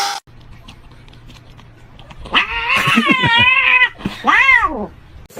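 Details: Pet cat meowing loudly indoors: a long, wavering, drawn-out meow that bends up and down for over a second, then a shorter arched meow rising and falling, after a quiet start with a low hum.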